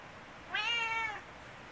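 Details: Chatty, attention-seeking tabby house cat meowing loudly indoors: a single clear, steady meow of about half a second with rich harmonics, over a quiet background.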